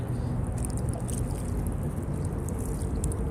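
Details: Steady low rumble of water and boat movement on a bayou kayak tour, with faint splashes and no animal calls.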